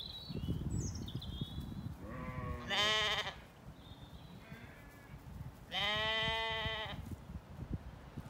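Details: Sheep among apple trees in bloom on a spring day in Ireland, ewes and lambs calling to each other: two loud wavering bleats a few seconds apart, with thin birdsong whistles and low rustling of movement.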